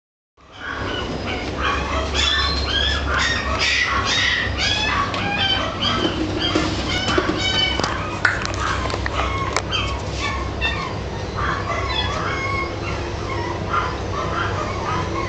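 A Boston Terrier gives high, squeaky yelps and whines, about two a second, over a steady low hum.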